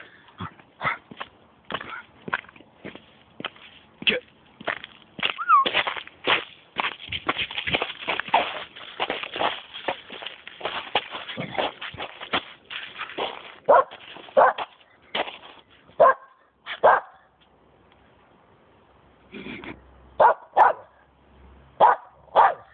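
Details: A Cairn Terrier in heavy December snow in England gives a rapid run of sharp, high yapping barks with a few brief whines.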